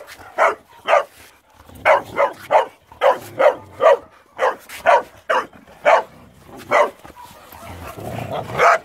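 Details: Boxer dogs playing together, giving a run of short, sharp barks at an uneven pace of about two per second, around fourteen in all, with low rumbling noise toward the end.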